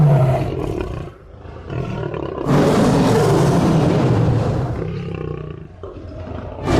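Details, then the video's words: Lion giving short growling sounds, then a loud, sustained, rasping roar lasting about two and a half seconds, which fades into lower rumbling grunts. "صوت الأسد - زئير الأسد - Lion Roar"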